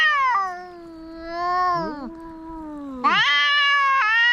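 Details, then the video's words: Fighting cats: a sustained, wavering yowl drifts down and overlaps a second cat's crossing growl, then a sudden harsh, high wail erupts near the third second and holds steady to the end. "Som de gatos brigando"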